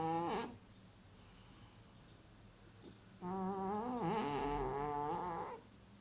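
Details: A male cat in an Elizabethan collar, his back dermatitis now healed, snores loudly while asleep: a brief snore at the start, a quiet pause, then a sustained rattling, tonal snore lasting over two seconds with a dipping pitch.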